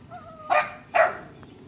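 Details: Dog giving two short, loud barks about half a second apart, preceded by a faint, steady, high whine-like tone, with a low background hum.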